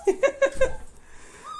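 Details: Young Siberian Husky puppy, indoors, crying in frustration because its short legs cannot get it onto the bed: four quick, high, tonal whimpers in a row, then a fainter trailing whine in a quiet room.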